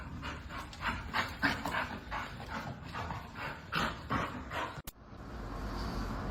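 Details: Dog panting: quick, breathy broadband huffs repeated about three times a second, uneven in strength, ending with a sharp click and a brief hiss of background noise.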